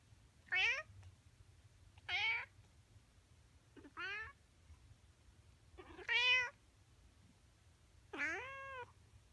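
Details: Five clear, strong meows from a male Siamese cat in the morning, roughly every two seconds, each harmonic-rich and bending upward then down, the last held longer; faint low background hum between calls.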